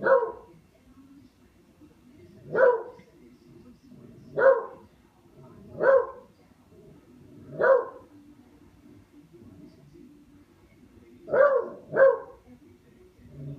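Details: Buster, a pet dog playing with a katydid bug, gives single sharp barks spaced about one to two seconds apart, seven in all, with a quick double bark near the end over a quiet background.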